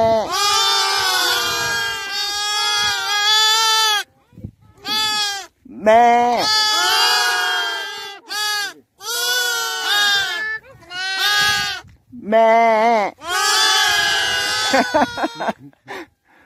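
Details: Newborn lambs on the Mongolian spring steppe, gathered apart by nomads with young goats because they shiver in the cold, call for their mothers: a chorus of long, wavering, nasal bleats, overlapping and restarting after short pauses.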